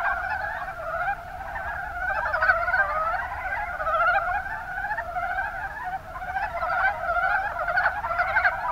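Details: Chorus of mountain brown frogs from the Kuma Basin in Kumamoto, Japan. Rattling, pulsed croaks pile up continuously, with frequent louder bursts over a steady background of calling frogs.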